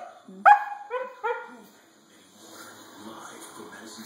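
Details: Five-month-old female husky puppy playing with feet; three short, high, harmonic yips in quick succession near the start, the first loudest, then quiet with faint background noise.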